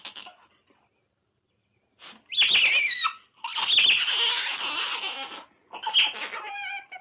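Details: Otter giving loud, shrill squeals, strained and harmonic, in long bursts of about a second or more, broken by short silences; the calls waver and scrape high in pitch, with a brief quieter chirping bout at the end.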